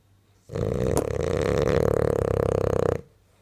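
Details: Sleeping, dreaming French bulldog giving one loud, sustained snore of about two and a half seconds, harsh and rattling with fast vibrating pulses, framed by near silence indoors.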